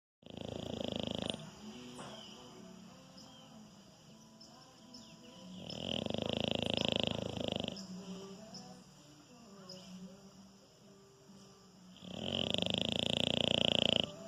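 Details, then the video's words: Anitta, a very docile French Bulldog, snoring while asleep: three rough, rasping snore bursts about two seconds long, spaced roughly five seconds apart, with quiet breathing between and steady faint tonal hum in the background. "Cachorro Bulldog Francês roncando. Ronca enquanto está dormindo."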